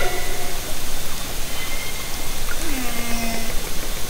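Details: A hydrophone lowered from a kayak in Haro Strait during summer 2010 picks up orcas: a low, steady, drawn-out tone rises briefly and then holds flat, with faint thin whistles above, all within heavy underwater noise.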